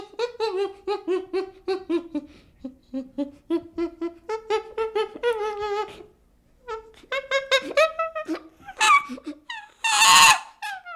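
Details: Baby chimpanzee making a long run of short, tonal, whimpering calls, rising and falling in pitch and repeated several times a second, with a brief pause mid-way and a harsher, noisy burst near the end.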